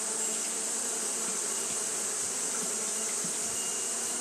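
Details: Short stretch of Japanese honey bees fanning through a hot day, the colony's continuous low buzzing drone steady and unbroken beneath a persistent high whine.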